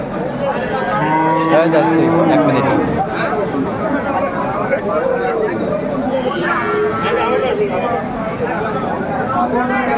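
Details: Improved-breed dairy cows with calves at Aftabganj market, Dinajpur, Bangladesh, April 2024: two or three brief low moos early on and another around the seventh second, half buried in steady crowd talk and market bustle.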